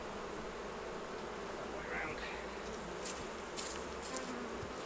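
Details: During a honey harvest, bees around opened hives keep up a thick, unbroken buzz, overlaid with soft brushing and rustling handling noises.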